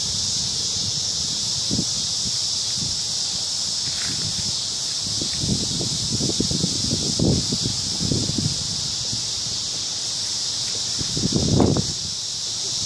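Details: Crickets singing in the evening in a big cottonwood tree at a park: a dense, unbroken, shrill high trill holding steady throughout, with scattered low rustles and thumps nearby.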